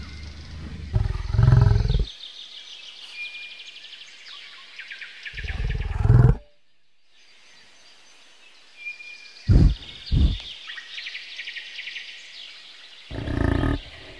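A bison gives deep, rumbling bellows in short bursts, with a faint hiss of insects or wind behind.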